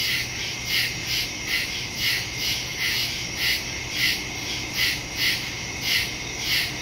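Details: Night chorus of crickets in woodland, September 2, 2023, captured on a phone with a stereo microphone: shrill chirps pulsing about twice a second in an even rhythm over a constant high buzz and faint low hum.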